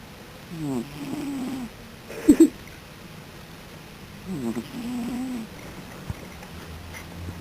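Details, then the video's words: A sleeping dog snoring: two drawn-out, rumbling, low-pitched breaths about four seconds apart, each with a rasping onset. Brief clicks and a quiet background hum are also heard. "Duke Snores"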